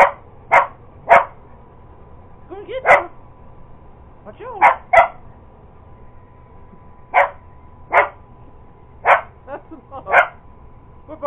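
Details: Purebred Cocker Spaniel chasing an iRobot Roomba robot vacuum. It gives repeated punchy barks, singly and in doublets, roughly every second or two, while a person talks to it between barks over a faint steady hum.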